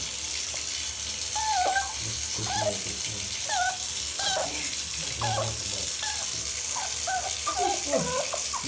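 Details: A Yorkshire Terrier placed in the bath whines in high, wavering, pleading notes over running water, begging not to be washed.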